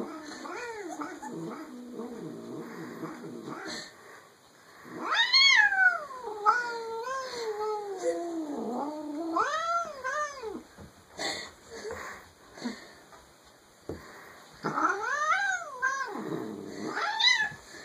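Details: Rogue, a house cat, making amusing noises: a low rumbling growl, then a string of loud wavering yowls that swoop up and down, with brief pauses between bursts.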